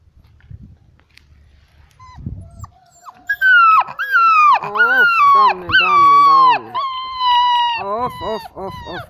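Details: Bucovina Shepherd Dog giving loud, drawn-out tonal wails that slide downward, several overlapping in a rich harmonic chorus from about three seconds on, after a quiet start with low rumbling.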